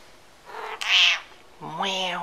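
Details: Domestic cat meowing loudly indoors: two drawn-out harmonic meows, the second starting low and flat then rising into an arched, whining cry.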